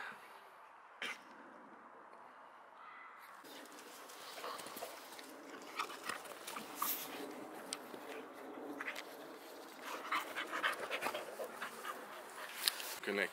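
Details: Rex, a Swedish male Boxer born in 2015 from near Landskrona in southern Sweden, romps with his playmate Tuva on a playdate: rough broadband panting and scuffling with brief whimpers, quiet human voices in the background.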